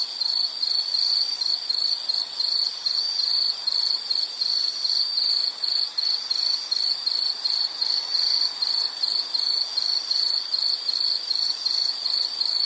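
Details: Steady high insect chirping, pulses at a regular pace of roughly two per second, ringing on without pause and with light background hiss.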